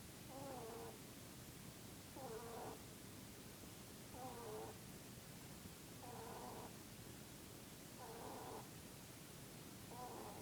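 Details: Sleeping Mr. Keeks, a Dutch/Polish mix bunny, snores in his Peep pose: short squeak-like nasal tones that recur about every two seconds with a falling pitch at the end, against constant low hiss.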